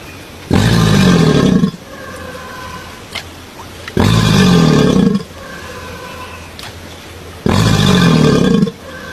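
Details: A crocodile giving three loud, harsh, rumbling roars, each about a second long with a low growling core, spaced roughly three seconds apart, with quiet background between.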